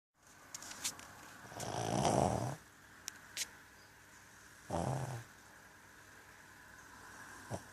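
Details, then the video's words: A Brussels Griffon snoring indoors: two long, low, rasping snores, the first around two seconds and the second shorter near five seconds, with a few faint clicks and a quiet room between them. "Brussels griffon snoring"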